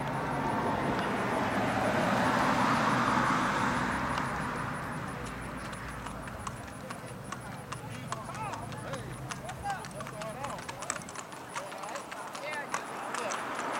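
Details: Tennessee Walking Horses, saddle horses parading on the street in Tollette, southwest Arkansas: quick, sharp, regular clip-clop of hooves on pavement, clearest in the second half, with people talking and a vehicle engine rumbling underneath.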